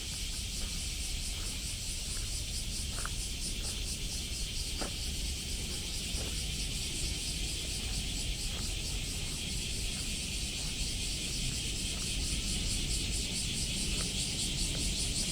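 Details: On a walk in Osaka on 17 July 2024, a dense, pulsing buzz of cicadas fills the summer air above a low rumble of traffic.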